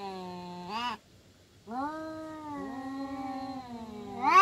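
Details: Quarrelling village cat with a low held moan, a short pause, then a long quieter wavering growl that rises into a sharp yowl at the end.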